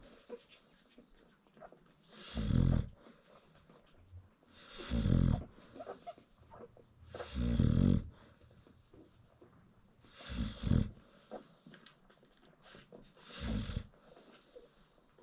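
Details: American Bully mother snoring while nursing her newborn puppies at a kennel in South Africa: deep, rasping snores roughly every two and a half seconds, five in all, with soft shuffling and suckling noises between them.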